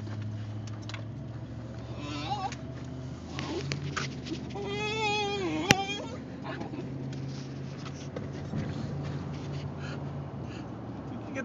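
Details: Male Basenji in a car, vocalising to signal he wants a potty break; one wavering, yodel-like whine in the middle amid steady road rumble and engine noise.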